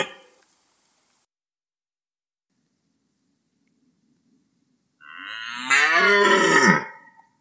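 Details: After a long silence, a red deer in the rut lets out a single rough, hoarse bellow of about two seconds that swells and then drops away.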